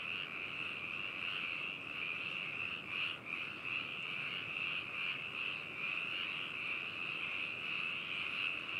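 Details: Frogs in Hakushu, Hokuto City, Yamanashi Prefecture, Japan, on 4 May 2018, recorded binaurally with an adphox BME-200 microphone and ZOOM H2n recorder: a dense, unbroken chorus of high trilling croaks holding steady throughout, with no single caller standing out.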